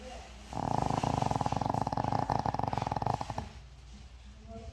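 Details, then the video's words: Deeply asleep, an elderly Shih Tzu of 13 snores noisily: a continuous rattling flutter of rapid pulses lasting about three seconds, then quiet breathing in a small room. "시츄 코골이~~시끄러운데 귀여워"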